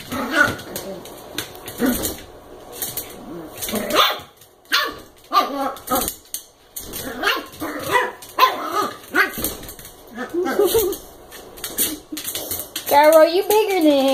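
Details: American Eskimo puppy Koda, eight weeks old, at play with a Chihuahua mix: scattered yelping barks and growly squeals throughout, ending in a rising, wavering whine, with a person speaking softly between them.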